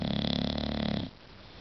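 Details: Sleeping English bulldog giving one long rattling snore, low and buzzy with a pulsing texture, about a second long, then quiet indoors.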